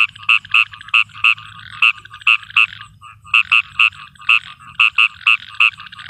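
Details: Frog calling at night in a field during rain: short, bright, nasal croaks in quick bursts of two to four, about sixteen notes in six seconds, over a low steady background rumble.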